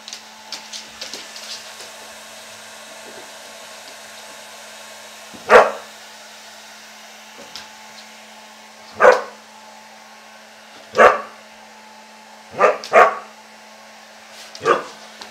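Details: Husky Ari, a pet dog just out of his bath, reacting to a hair dryer with sharp single barks spaced several seconds apart, some in quick pairs, over the steady hum of the dryer.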